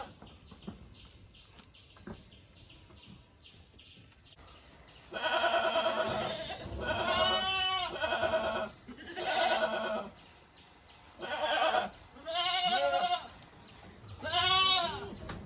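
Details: Goats from the herd known as Lathika's, bleating in a run of five harmonic calls after four seconds of near quiet, each bleat about a second long with a wavering, quavering pitch and short pauses between.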